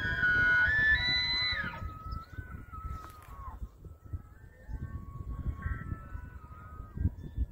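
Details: An elk (wapiti) in Hurunui, New Zealand, gives a weird, high, flute-like whistling call that slides upward, then falls into a long wavering tone.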